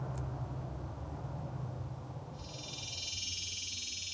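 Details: Cicadas in Palm Desert, California, during mating season: a male calls to a potential mate by vibrating his timbals. A loud metallic, finely pulsed buzz starts partway through and holds steady over a low background rumble.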